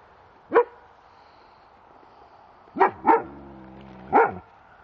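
A German Shepherd gives loud, sharp protection barks, including a quick double bark, with pauses between.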